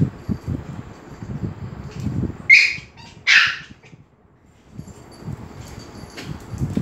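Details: Dogs at Phuket Dog Resort grow excited as Fendi, a Pomeranian, comes in; two sharp, high-pitched barks sound about a second apart over low rumbling background noise.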